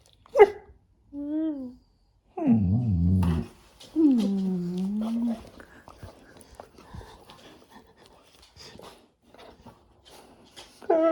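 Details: Labrador Retriever arguing back at its owner, giving a series of drawn-out, wavering groans and grumbles with rising and falling pitch, one low rough growl, a man's voice in between, indoors.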